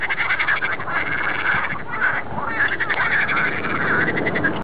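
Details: Chorus of many frogs in a Dutch polder near Amsterdam on a sunny day; continuous rapid rattling croaks overlap, with repeated rolling trill phrases standing out every second or so.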